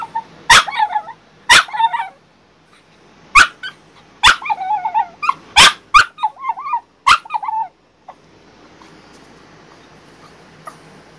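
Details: Crated after back surgery, female French Bulldog Bailey objects with a run of sharp barks, each trailed by wobbling whines, about six barks in seven seconds before the sound falls quiet.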